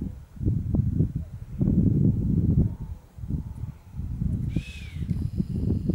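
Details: Chamois whistle: one short, hissing whistle that arches up and then falls, heard near the end, over a steady low rumble of wind or handling noise.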